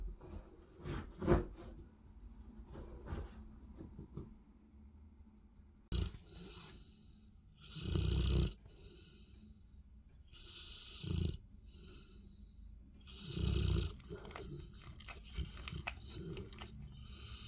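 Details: Olly, a Bernese Mountain Dog, sleeps after a tired morning trip to the park, snoring in deep, breathy low rumbles that come every few seconds, with shifting and rustling as he settles at first.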